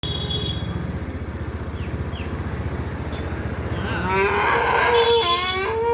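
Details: A cow calf gives a rising, drawn-out bawl, calling for its mother, over a steady low rumble.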